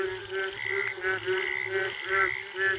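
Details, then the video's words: Indian frogs calling in the forest late at night after the first rain, a mating chorus of rapid pulsed croaks in repeated bursts, several overlapping, with a clear echo. "Sound of Indian Frogs after first rain late night जंगली मेंढकों की आवाज पहली बारिश के बाद"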